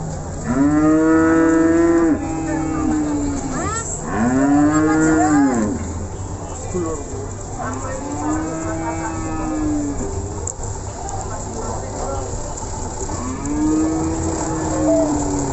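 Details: Simmental cattle mooing at the Ambarawa cattle market, several drawn-out arched lows spaced a few seconds apart over constant background voices and bustle.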